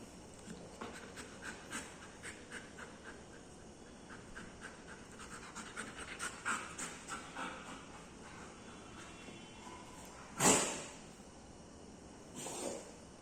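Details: Dog panting in quick, steady breaths repeated about twice a second for most of the recording, breaking off into two loud bursts of noise near the end.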